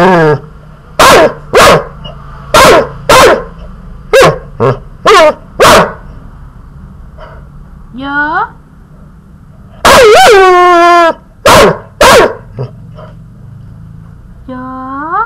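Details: A teased male puppy yaps rapidly in a run of short, high barks. A rising whiny cry follows, then louder barks, with human voice sounds mixed in and a low hum throughout.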